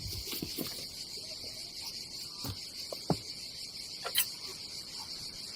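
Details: Summer cicada chorus at a seaside campsite in Croatia on the Adriatic, a continuous high-pitched pulsing buzz behind scattered taps, rustles and a few louder knocks.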